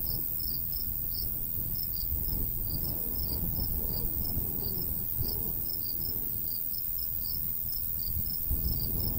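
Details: Countryside crickets in summer near a golden wheat field chirp in uneven bursts, pulses often paired, over a louder gusting breeze rumble; a brief knock sounds near the end.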